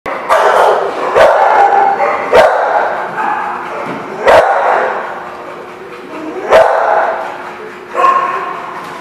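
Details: Dogs barking on 16 January 2016; loud overlapping barks and yips, with several sharp bursts about every one to two seconds over a continuous chorus of barking.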